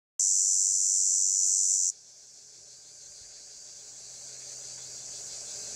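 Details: On a hot summer day in Cliousclat, a cicada sings a loud, steady, high-pitched buzz that cuts off abruptly, leaving a softer hiss.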